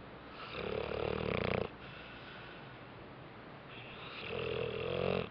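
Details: Bentley the dog snoozing after a rough day, giving two long rattling snores, each a buzzy, wheezing inhale lasting over a second, with a quiet pause of steady breathing between them indoors.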